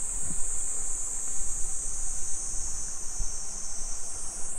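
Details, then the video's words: Cicadas in a Japanese summer, recorded on a mid-afternoon street walk in Nisshin, Aichi Prefecture, July 2021: an unbroken, shrill high-pitched drone filling the whole stretch, with light footsteps and low background noise. "Summer Cicadas Sounds"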